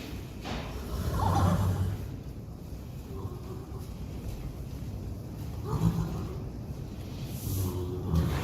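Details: Friesian horse herd at pellet feeding time; low, throaty nickers come in three short bursts, near the start, middle and end, over a constant dull background rumble.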